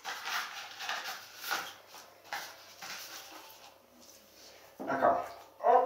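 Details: Pekingese puppies getting a deworming treatment indoors, a person talking to them nearby; soft rustling and muffled noises first, then two short, high, squeaky whimpers close together near the end.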